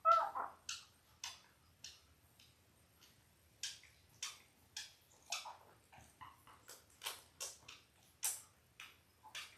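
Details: Five-day-old Labrador Retriever puppies from a litter of eight, five males and three females born October 15, 2023, to their mother Belle, heard indoors on a puppy cam. Short, soft squeaks and scuffling bursts follow one another irregularly.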